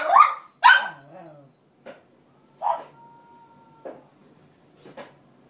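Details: Roxy the Cairn Terrier barks and whimpers indoors to reclaim her bed by the radiator from the other cairn; two loud barks open, then softer scattered yips over five seconds, with a faint steady tone in the background.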